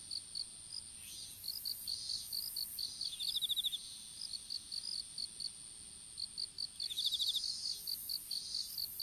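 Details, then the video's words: Insects chirping in an open-air strawberry field during seedling planting; quick high pulses in uneven runs, interrupted twice by a short buzzy rattling trill from another caller, faint rustling noise underneath. "虫の鳴き声in いちご畑"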